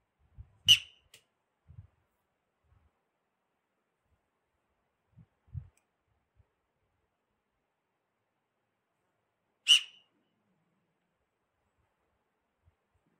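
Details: Himalayan tahr gives two sharp, piercing whistles about nine seconds apart, supposedly an alarm call, near a watchtower 4 km from Chopta where a female, a male and a kid were licking salt.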